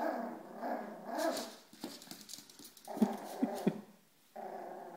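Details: Two Yorkshire terrier puppies growl and grumble in low, rough bursts as they play with a toy football.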